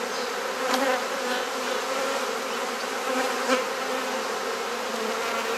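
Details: Continuous, even drone of a honey bee hive under inspection in a garden at Mosman Park, Perth, Australia, with frames being swapped; only faint clicks break the smooth hum.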